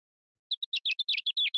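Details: A male house mouse courting a female gives an ultrasonic song, lowered into human hearing. It has about nine quick, chirpy, bird-like syllables in just over a second, some sweeping up or down.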